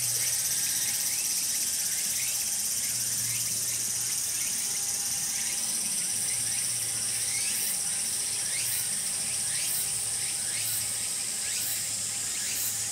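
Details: Tsukutsuku-boshi cicada song, part of a full calling bout from its start to its end: a loud, steady, shrill high buzz, rhythmic pulses growing clearer in the second half, and faint repeated lower chirping in the background.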